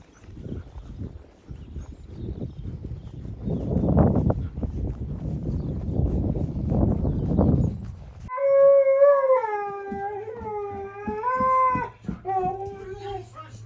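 A husky gives a drawn-out, wavering howl that bends up and down in pitch, after muffled rustling.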